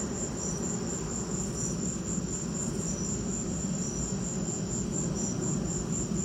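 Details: Crickets chirping during a lightning storm: a steady high pulsed trill repeating about three times a second, with a second, lower voice chirping intermittently beneath it, all over a constant low rumbling background.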